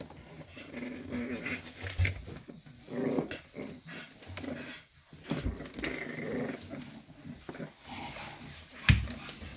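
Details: Six-week-old Staffordshire Bull Terrier puppies of the 54th litter, 11 December 2023. Repeated low, throaty growls with a rough tone come in bursts every second or two amid playful scuffling and a sharp knock near the end.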